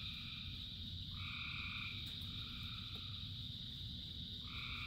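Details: Frogs calling in rain, part of a chorus of thousands: sustained tonal notes at two stacked pitches, about a second long near the start and returning at the end, over steady rain hiss, a constant high drone and low rumble.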